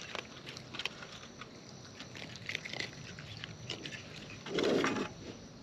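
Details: Wild raccoons chewing food close up: light, scattered clicking bites throughout, then a short, louder rough burst near the end before quieter crunches resume.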